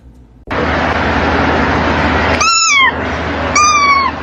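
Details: Domestic cat meowing twice over steady background hum, two rising-then-falling harmonic meows about one second apart, each clear and drawn out.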